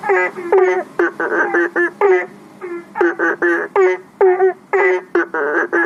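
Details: Chorus of banded bullfrogs calling for rain at a house's fish pond and aviary pond near a public road, phone recording: repeated short, nasal, harmonic bleats from several frogs, clustered in bursts roughly every half second.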